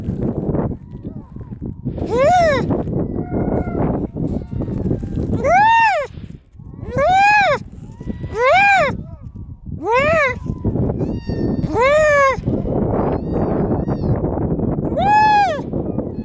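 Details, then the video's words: Baby harp seal filmed up close in 2019, giving loud drawn-out wailing cries that arch up and then fall, each lasting under a second. Seven calls come at uneven intervals over sixteen seconds, with rustling and shuffling noise between them. "harp seal baby"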